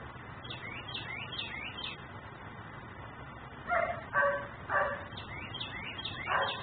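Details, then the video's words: Dog left outside by its owner, barking as a neighbourhood nuisance in Mecklenburg, filmed by a camera; high chirping birds first, then four hoarse barks in quick succession, one more after a pause, with birds still calling. "Barking dog no one hears.......but me"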